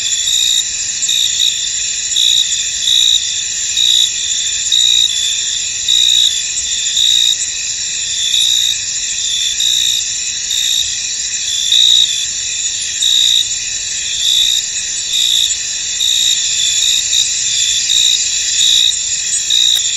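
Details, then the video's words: Crickets chirping in a misty, foggy field: a steady high-pitched insect chorus with a brighter pulsed trill repeating about every second over a continuous shimmering drone; no other clear sounds. "Tranquil Cricket Sounds In An Misty Field"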